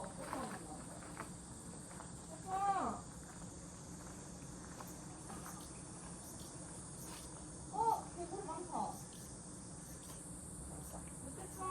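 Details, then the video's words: Cicadas singing at a rural country house: a steady, high, hissing drone that holds without a break throughout, interrupted twice by short bursts of people talking nearby. "찌르찌르 매미우는 시골집"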